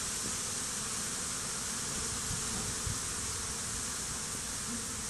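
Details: Honey bees swarming over a stump beside beehives, some fighting, dead bees nearby, days after a small swarm was merged into a hive; dense, steady hiss-like buzzing of many bees fills the sound, with faint low hums drifting beneath.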